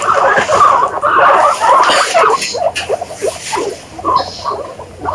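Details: Guinea pigs squeaking in an indoor setting: dense chattering bursts of short, harmonic squeaks, some rising in pitch, packed closely together with brief gaps and no other clear sounds.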